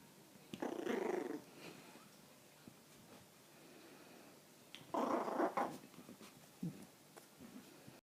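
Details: Three-month-old Poodle puppy growling indoors in a small room: two rough, buzzy growls, one near one second and a longer one near five seconds, with a short low grumble afterwards and quiet pauses between.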